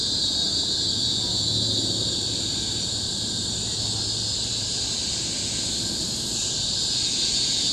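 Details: Cicadas singing in tropical forest on Bukit Timah Hill, Singapore, in 2017: a loud, continuous, shrill high buzzing chorus held steady throughout, with a faint low hum underneath.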